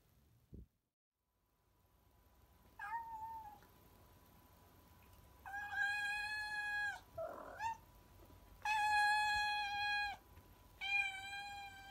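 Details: Domestic cat at home in the afternoon, lounging in a window and then curious on the sofa, giving about four drawn-out, tonal meows, some long and level, others short, spaced a few seconds apart over a faint steady hum and a soft knock at the start.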